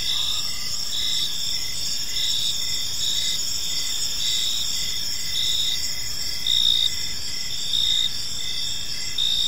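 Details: Evening crickets in a peaceful park: shrill steady trilling with regular pulsed chirps close to once a second, a brief faint lower whistle near the start, and gentle background rumble.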